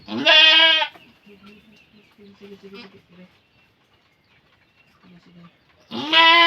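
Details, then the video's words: Farm goat in labour, giving birth: two loud, strained, nasal bleats, one opening and one closing the stretch, with soft low murmuring and quiet human voices in between. "ACTUAL NA PANGANGANAK NG ATING KAMBING"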